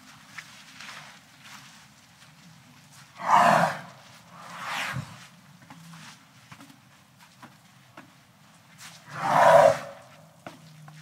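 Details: Elephant making two loud, rough, broadband roaring blasts about six seconds apart, with a softer drawn-out groan between them over a low, steady outdoor rumble.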